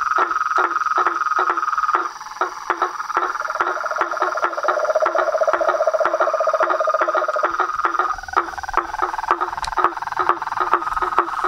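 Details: Toads, frogs and treefrogs in a natural symphony: continuous high pulsed trill overlaid by regular sharp clicks about every half second, a lower trill joining midway, and a brief dip in loudness before the chorus resumes.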